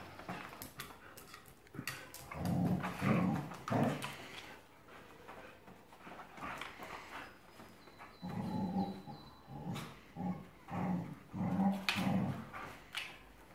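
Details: Two dogs growling while playing tug-of-war: low, rumbling growls in uneven bursts, a cluster early on, then a run of rhythmic pulsing growls about every half second toward the end, with scuffling and thumping noises throughout.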